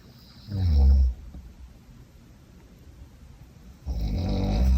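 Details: A domestic cat snoring loudly enough to disturb concentration: two deep, rumbling low snores about three seconds apart, each a raspy, breathy inhalation lasting under a second, with quiet room tone between.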